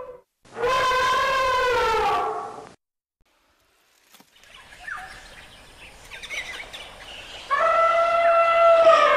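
An elephant gives a loud, brassy trumpet, then a rougher rumbling stretch and a second blast.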